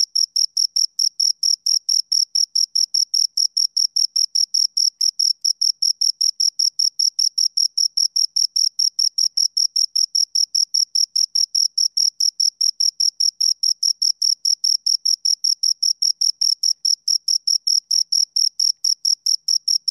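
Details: Two crickets chirping steadily in a clean, unbroken series of short, high-pitched pulses, around two or three per second, with a fainter higher overtone; no other sounds intrude.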